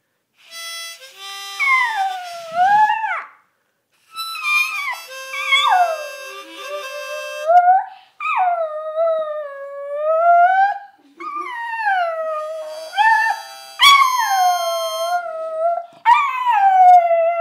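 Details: A dog "sings" along to a harmonica, howling in long, wavering, sliding tones alongside steady harmonica notes.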